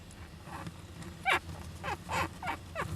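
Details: Young Japanese giant flying squirrels inside an owl nest box on 19 July 2010: a series of short, squeaky, descending calls and sneeze-like bursts over a steady low hum and hiss.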